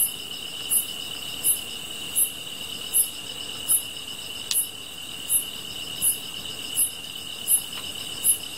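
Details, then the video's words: Field insects chorus near a fire being watched: a continuous piercing ringing tone overlaid by regular high ticking chirps roughly every three-quarters of a second, with one brief crackle from the burning wood. "풀벌레 소리"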